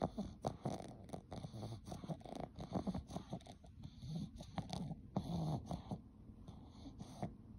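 A Boston Terrier snores and snuffles in low, rough, irregular breaths.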